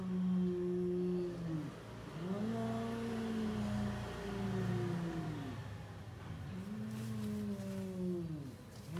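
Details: Domestic cats on the verge of a fight, a chair set between a tall cat and a lion cat; deep, sustained moaning yowls that arch up and sag down, three long phrases in a row, quiet room noise behind.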